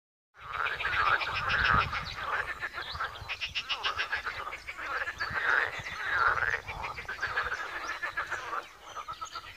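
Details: Frogs calling at a pond in Wiry: a dense, overlapping chorus of rattling, pulsed croaks, with several louder trilled bursts rising and falling throughout and no other clear sounds.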